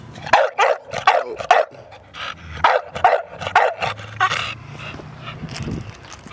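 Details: Barking from a male exotic blue tri American Bully stud in Portland: a run of sharp repeated barks, then quieter yips fading out with low background rumble and applause-like noise.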